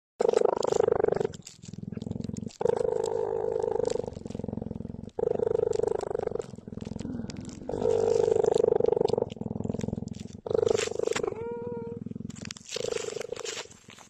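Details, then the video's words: Cheetah purring while cuddling and giving kisses: loud, continuous rumbling purr in long bursts of one to three seconds separated by brief breaths, steady throughout, with a few short higher sounds near the end. "cheetah 🐾 cuddles and kisses 💋 the pur"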